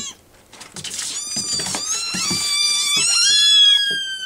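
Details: Hungry rescue kittens demanding food, soft scuffling at first, then thin high meows building into long, rising and falling cries from several kittens.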